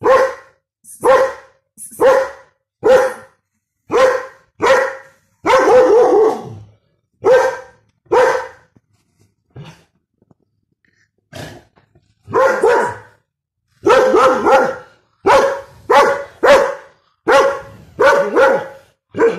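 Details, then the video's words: German Shepherd barking angrily, loud harsh barks repeated about once a second in rapid runs, with a short pause near the middle before the barking resumes. "angry German sheprad barking"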